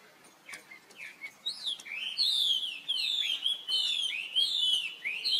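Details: A baby monkey calls for help while his sister Rainbow runs quickly away. Short faint chirps build into a string of loud, high, swooping cries, each curving up and down, about one and a half per second.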